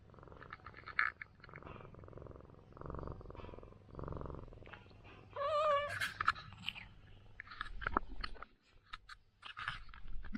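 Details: A rural ginger cat that fought feral cats all night purrs under a massage, rumbling in rhythmic low bursts about a second long. A brief wavering voiced tone rises midway, followed by scattered clicks and handling noises.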